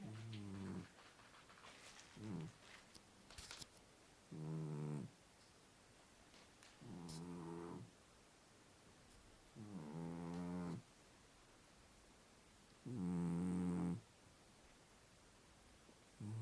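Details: Lop-eared Scottish Fold cat named White snoring while asleep indoors: low, buzzy, throaty breaths swelling in bursts about every two to three seconds, with quiet gaps between and faint clicks in the background.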